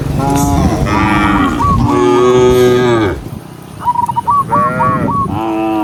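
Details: Several loud, overlapping cow moos, long and deep with strong harmonics, come as cows run from their pen down a green hill on a bright morning, followed by quick chirped bird notes and another moo.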